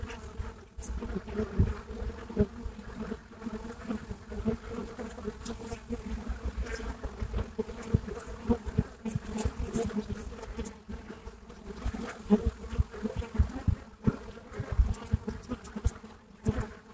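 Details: Many Buckfast bees humming at a hive entrance in Brittany, France: steady low droning buzz with stacked tonal bands, swelling and fading as individual bees fly near, plus short clicks and ticks throughout.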